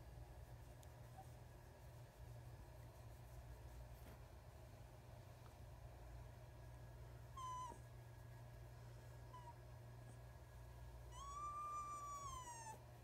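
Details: Lana, a rescue fox kit at Sunshine State Wildlife Sanctuary, whines to show approval of belly rubs. Two thin, high whines carry bright overtones: a brief one midway, then a longer note that rises and falls near the end, over a steady low hum.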